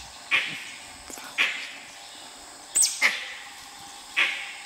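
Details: At Nagarahole National Park, dholes attempting to hunt a tiger send out crisp high whistles, five in under five seconds, one paired with a thin higher squeak, over quiet hissing background.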